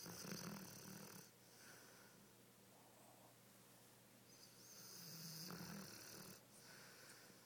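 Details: Sleeping and dreaming, the Dogo Argentino Flora snores heavily between spells of sleep running. Two long, rasping breaths fill the room, the first about a second long and the second around the five-second mark, with quieter breathing between them.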